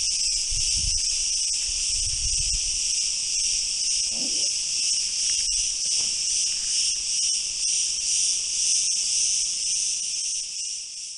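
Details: Chorus of cicadas producing an unbroken, shrill, high-pitched drone throughout, slightly wavering in loudness, with brief low rumbles and a faint short sound in the background.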